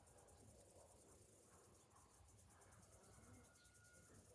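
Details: Cicadas singing on a summer morning: a thin, very high, rapidly pulsing buzz runs throughout, with faint whistled bird notes and low background rumble beneath.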